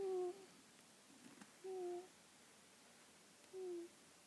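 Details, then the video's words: Karma, a black female cat, asleep and snoring indoors: soft, steady whistled snores with a faint higher overtone, three of them, each lasting under half a second and coming about every two seconds in a quiet room. "Ever hear a snoring cat?"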